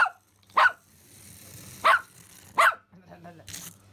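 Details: Pomeranian named Simba, excited at seeing a remote-control rat for the first time, gives three sharp high barks spaced about a second apart, with a faint steady low hum beneath and a brief noisy burst at the end.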